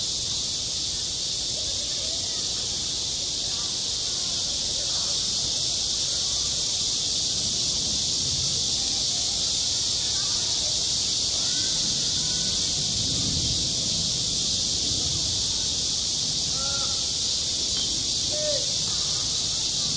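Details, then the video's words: Cicadas singing in midsummer at a school playground, a dense, steady, high-pitched buzzing drone that fills the whole recording without pause, with faint distant voices underneath. "한 여름 운동장에서 매미가 울고 있다 - 여름의 소리, 학교 종소리, 매미 울음소리"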